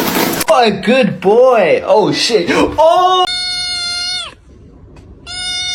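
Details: Kittens giving a quick run of short, arching meows that rise and fall, overlapped by voices, followed by flat, steady electronic-sounding tones.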